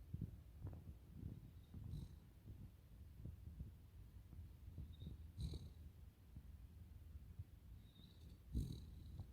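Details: Cavalier King Charles Spaniel named Totoro snoring: a soft, low fluttering rumble with uneven pulses throughout, plus a few brief faint clicks and rustles.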